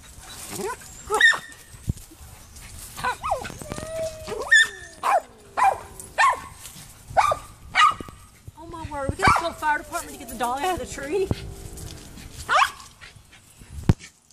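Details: Gracie the Poodle, climbing a neighbor's tree to get at the cat Allie, lets out sharp high barks roughly once a second, broken by wavering whimpers and a few human voices.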